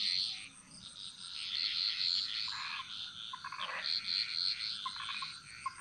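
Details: Jungle frogs in Bali singing their chorus: a steady high trill, with a cluster of quick, lower clicking calls in the middle and toward the end.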